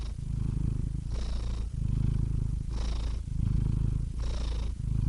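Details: Cat purr, a low vibrating rumble broken by airy breaths about every one and a half seconds, steady and close with nothing else audible.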